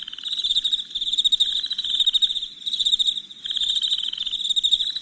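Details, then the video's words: Night crickets in a calming ambience, their high trilled chirps coming in bursts about a second long separated by short pauses, several insects layered into a pulsing chorus. "Soothing Crickets Chirping Sounds"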